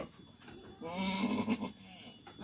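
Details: Goat at a village farm in Kampung Manglid, Muncang, Sodonghilir, during a day when six kids were born; one wavering, nasal bleat of about a second stands out, with faint voices and rustling around it.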